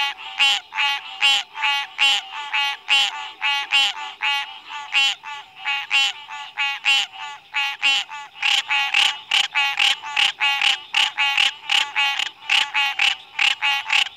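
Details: Frog giving a long, unbroken run of rasping, pulsed croaks, roughly one per second, loud and somewhat uneven in spacing, with no other sounds.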